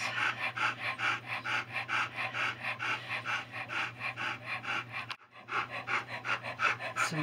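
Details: Litter of Alaskan Noble Companion Dog puppies, agouti and liver, six males and three females, early days: rhythmic soft breathy panting about once per second, steady low hum underneath, brief break near the end.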